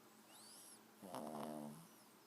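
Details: A sleeping 4-month-old Boston Terrier puppy gives a single quiet, drawn-out snore, a rough, buzzing, nasal rattle lasting about a second, after a faint high whistling sound in a quiet room.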